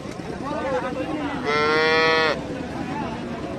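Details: Calf mooing once, a single high, steady, harmonic-rich call held for just under a second against a low background murmur.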